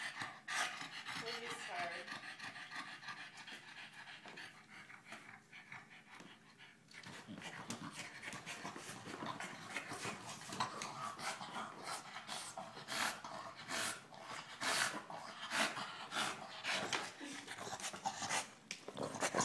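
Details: Rufus, a pet dog, tries desperately to puncture a giant tennis ball but cannot get his teeth into it; fast rhythmic panting bursts grow stronger through the second half, with scraping and chewing noises and a human voice speaking.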